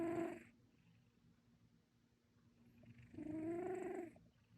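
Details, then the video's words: Sleeping domestic cat snoring, two breathy snores with a rising tonal whine, three seconds apart, quiet between them. "고양이 코고는소리"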